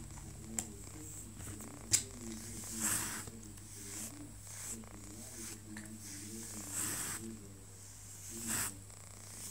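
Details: OkiOki, a pet cat, voices his displeasure while being groomed indoors: low, drawn-out harmonic growling moans in uneven repeated bursts, with sharp brushing and handling clicks and a steady electrical hum.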